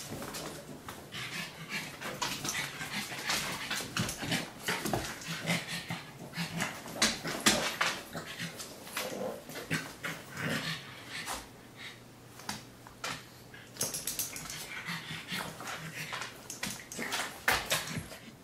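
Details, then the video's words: A Pug and a Great Dane playing together indoors in a home office: scuffling, snuffling and panting with brief whimpers and grunts, many short broadband bursts throughout, no clear barks. "Pug and Great Dane Playing"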